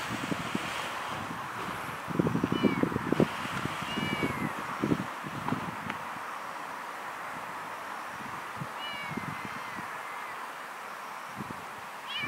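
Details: A little kitten crying alone outdoors: several thin, high, bending meows, some at two to three seconds and another pair near nine seconds, over steady traffic-like rumble and scattered low thumps.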